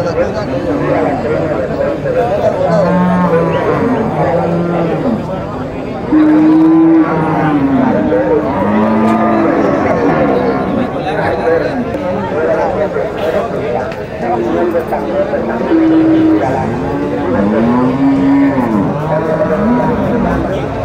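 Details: Several bulls at a livestock market in Nueva Guadalupe, El Salvador, lowing repeatedly in overlapping, drawn-out harmonic moos that rise and fall, some long and steady, with faint crowd murmur behind.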